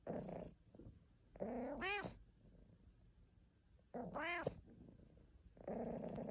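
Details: Domestic cat complaining with two clear, rising-falling meows about two and a half seconds apart, surrounded by softer lower vocal murmurs and faint room noise.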